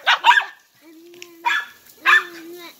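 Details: Dachshunds going crazy with excitement for water, outdoors: three clusters of sharp, rough barks, with a steady whining tone drawn out between them.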